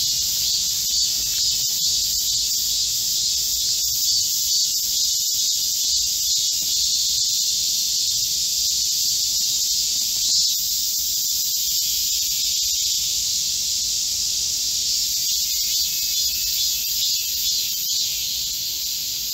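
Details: Korean cicadas singing together in a midsummer forest amid a heatwave, recorded 25 July 2024; an unbroken shrill drone fills the air, its high buzzing bands holding level throughout with faint pulsing.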